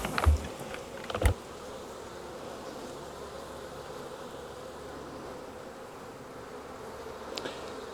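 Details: Honey bees of a wild swarm taken from a tree branch and moved into a nuc box give a continuous droning buzz, even in pitch, broken by two sharp knocks near the start and a faint click late on.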